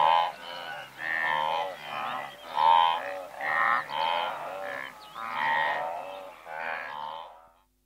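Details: Blue wildebeest herd of several hundred animals calling close by: a rhythmic run of nasal, croaking grunts, about two per second at first, then fading out to silence near the end.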